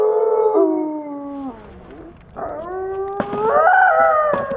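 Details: Wolf howl that slides downward and fades into a noisy lull, followed by rising, wavering howls mixed with short sharp yips and clicks.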